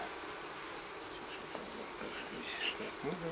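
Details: Honey bee colony taken from a wild forest nest near Kiev, Ukraine, during transfer into a hive; continuous hum of many bees, with a brief voice-like tone near the end.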